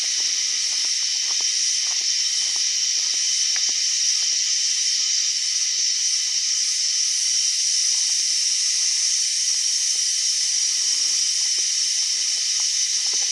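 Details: Cicada noted as making an odd sound: a continuous, even, sizzling high-pitched drone runs unchanged from start to finish, with sparse soft ticking and tapping noises in the background.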